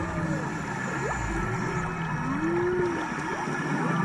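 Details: Humpback whale song recorded by divers off Maui in March: a short rising squeak, then a smooth arched moan, over steady underwater hiss.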